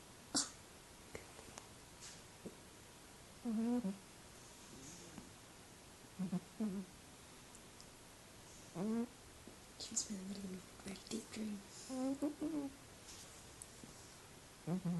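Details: A female Burmese cat, sleeping soundly, snores loudly in short, irregular, low droning bursts with a slightly squeaky edge.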